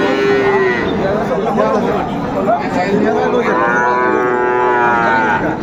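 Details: Friesian and crossbred bull calves at Raniganj cattle market, Dinajpur, Bangladesh, on Thursday 2 May 2024; a short moo at the start and a longer wavering low at the end, over busy market chatter.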